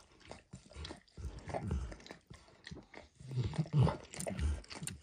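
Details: A dog, Max, licking food from a bumpy orange mat; clustered wet slurps and crunchy smacks separated by brief pauses, louder bursts near the end.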